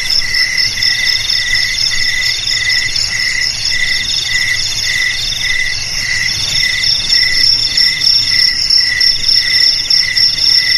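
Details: Cricket song, offered as a sound for driving rats from homes, garages, storerooms and rice fields: dense, shrill pulsed chirping in several stacked high tones, beating steadily through the whole stretch over a faint low rumble.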